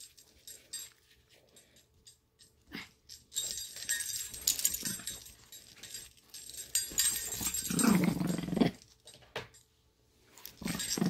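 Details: Lady the Chihuahua growls in play indoors, with scattered rustling and handling noises; a brief low growl rises near the end, followed by soft clicks.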